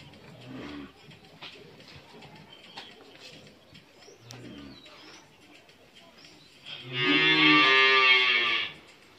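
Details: A Friesian heifer calf aged 11 months, kept at a Bangladeshi dairy farm in Bhangura, Pabna. Several faint low grunts and soft knocks come first, then one loud, bright moo lasting nearly two seconds near the end.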